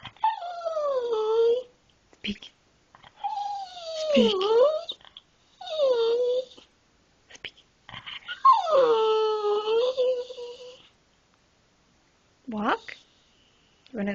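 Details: Pet dog indoors making funny noises when asked to speak: a series of long, wavering howl-like moans, each sliding down in pitch, separated by short pauses, with a person speaking French quietly nearby.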